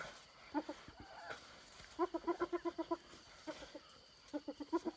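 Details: Hyenas fighting over a stolen impala carcass, snatched from a leopard and her cub near Selati Camp: distant staccato giggling in short rapid bursts of evenly repeated notes, separated by brief quiet gaps over a steady hum.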